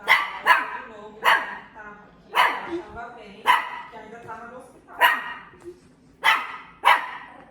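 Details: Dog barking in sharp, bright bursts roughly every second, eight barks over seven seconds, with a voice speaking softly between the barks.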